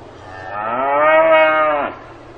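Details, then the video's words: One cow on a farm gives a swelling moo that fades in, holds steady for over a second with bright overtones, then bends downward and stops; a quiet low hum continues throughout. "농장에서 우는 소 울음 소리"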